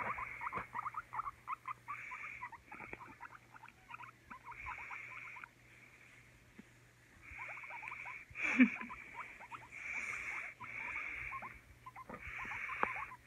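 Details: Guinea pig making bursts of quick, squeaky chirps alongside a recurring high buzzy whine, with a quieter pause midway and a single louder thump-like sound later.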